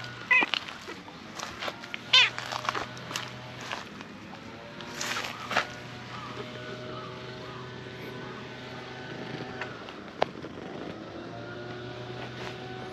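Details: Tortoiseshell stray cat in a park, shyly climbing onto a lap to be petted; two short, high, thin meows sound in the first few seconds, followed by quieter rustling and a steady low background hum.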